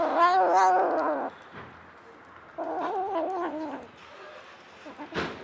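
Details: Stray mother cat with seven kittens, four white and one tortoiseshell born to her plus two adopted orphans; two loud, wavering meows about two seconds apart, each over a second long, then a brief click.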